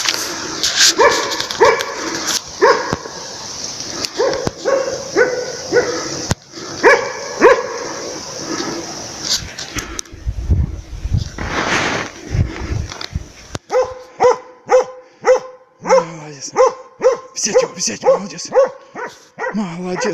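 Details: A Laika hunting dog works a moose during an elk hunt, baying with loud, repeated, harmonic barks.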